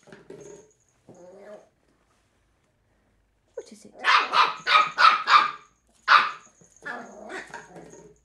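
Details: A three-month-old female Cairn Terrier puppy, stubborn and fearless, takes on an empty bottle while urged to "get it." She gives a rapid string of bright, clipped yaps, then a lone bark and softer yips, after lower rough murmurs that may be a small growl.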